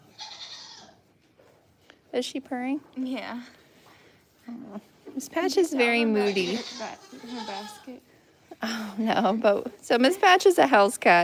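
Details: Farm goats giving quavering, tremulous bleats in irregular bursts, some long and shaky, others clipped, with people talking between and over the calls.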